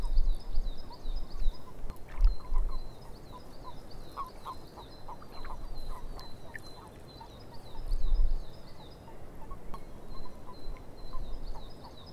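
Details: Frogs calling in a swamp: quick runs of short clicking croaks, with a strong low rumble and thumps underneath and thin, high, repeated chirps running through much of the recording.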